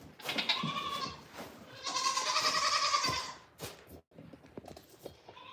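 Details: Goats on a farm in the morning: two long, wavering, nasal bleats, the second held over a second, followed by quieter scuffles and short knocks.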